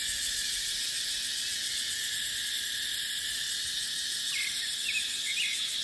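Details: Steady, piercing cicada drone in a dry dipterocarp forest in the dry season, with wind: the buzz pulses evenly at a high pitch, and a handful of quick bird chirps come near the end.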